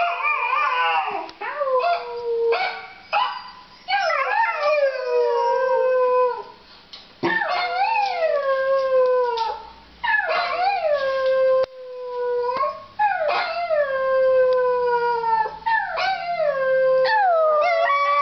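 A Pembroke Welsh Corgi howls in long, wavering notes that slide downward, repeated in a series.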